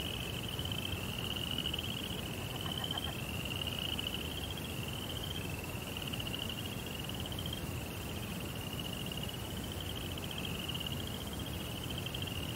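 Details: Crickets at night in a Japanese Zen rock garden by a koi pond: a steady high trill in pulsing stretches of a second or two, running nonstop over a dense low rumble, with brief faint clicks near the middle.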